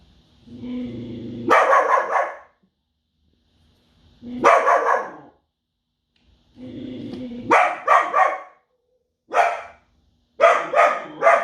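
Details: Belgian Malinois barking in loud bursts, some long and rasping, others short and sharp in quick pairs, with lower whining or growling tones heard before several barks; irregular spacing.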